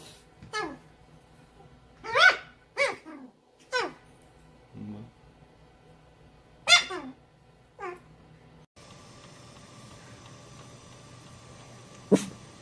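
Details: Puppy yipping in a small room: a scattered run of sharp, high yelps that slide downward, irregularly spaced, followed by a stretch of steady hiss and one last yip at the close.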